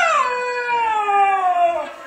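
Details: Kodiak, a four-month-old Siberian Husky puppy, talks back because he doesn't want to come downstairs: one drawn-out, harmonic-rich vocal sliding steadily downward in pitch over two seconds, fading at the end, indoors.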